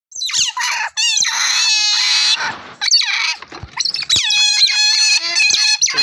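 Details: Otter giving shrill, harmonic-rich squeals, some wavering and some steady, in a near-continuous run of about six seconds with only brief pauses.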